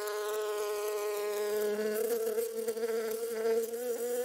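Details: Close, steady buzzing of a honey bee: a rich, droning hum that wavers gently in pitch and loudness throughout, with no pauses.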